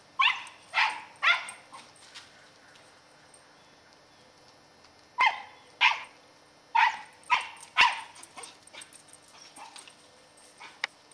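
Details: Katie, a ten-year-old female Scottish Terrier on squirrel patrol in November 2008, barks in sharp bursts: a quick run of three or four barks, a pause, then more clustered barks, with long quiet gaps between volleys.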